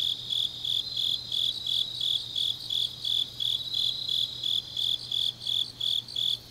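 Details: Grass insects singing late on an autumn night in Changnyeong, South Gyeongsang, Korea: shrill, evenly spaced chirps near three per second, with a second fainter high trill weaving between the pulses.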